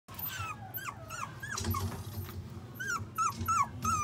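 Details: Pomeranian-Shiba mix puppy at a pet shop in Shizuoka, Japan, giving a rapid series of high, sliding whines and yelps, roughly three per second, with low growly undertones in a small room.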